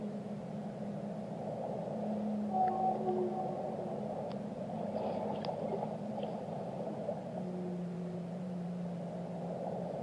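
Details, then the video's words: Whale song with a sequence of sustained low tonal moans, some paired with higher harmonic tones, rising and falling in loudness across the stretch, set against steady deep-water noise with a few sharp clicks. "Relaxing Whale Songs - Immerse Yourself in the Melodies of the Deep"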